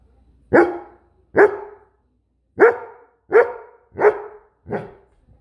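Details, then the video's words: Farfel the Goldendoodle barking: six loud, short, harsh barks in a quiet room, spaced under a second apart. "Farfel The Goldendoodle barking"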